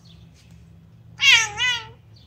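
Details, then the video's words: A very talkative Bengal cat gives a single drawn-out meow that rises, then falls, with a rich harmonic tone. "Chatty bengal cat"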